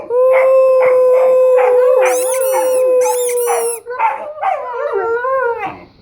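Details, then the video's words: Two domestic dogs, a Weimaraner and an Old English Sheepdog, vocalising excitedly during play, set off by squeaky noises: a long steady howling tone overlaid with rapid rhythmic yelping whines and wavering, squeaky high-pitched cries. "Weimaraner and Old English sheepdog Funny Noises"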